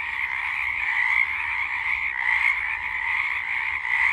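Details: A dense chorus of Pacific chorus frogs (Pseudacris regilla) sings, many overlapping mid-pitched croaks merging into a steady, throbbing drone.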